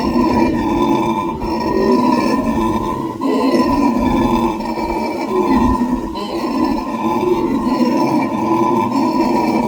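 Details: Howler monkeys raising a racket: long waves of hoarse, grunting roars that swell, pause briefly, and swell again in rough, rasping bursts.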